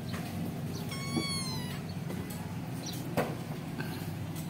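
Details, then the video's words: Kitten taken from its mother while still nursing gives one high, thin, steady meow of under a second, with a clear stack of overtones. A low constant hum and a few faint clicks or taps run underneath. "kucing meong oyen"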